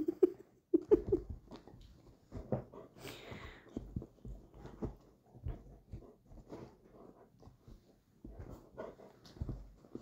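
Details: Indoor first play fight between rottweiler-cross Marlow and his new puppy sister Mimi: a few high squeaky whines open, then a steady run of huffing breaths, soft grumbles and scuffling.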